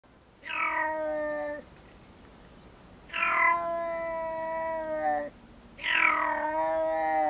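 A black-footed cat gives three long, harmonic, meow-like calls, each falling slightly in pitch.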